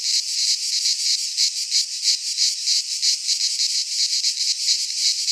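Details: Cicadas singing in midsummer in a Greek pine forest: a dense, continuous buzzing chorus, high and hissing, pulsing in rapid rhythmic surges about three times a second, with no other sounds.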